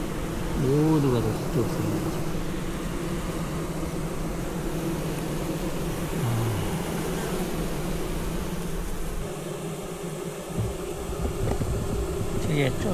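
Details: Heat-stressed honey bees hanging in clusters at the hive entrance, on the ground and sides during a heatwave; continuous low hum, a loud swooping fly-past buzz near the start and another near the end.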